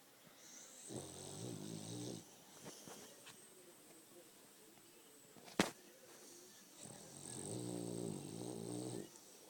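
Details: French Bulldog snoring indoors: two rattling snores about six seconds apart, each a little over a second long, separated by quiet breathing and one sharp click.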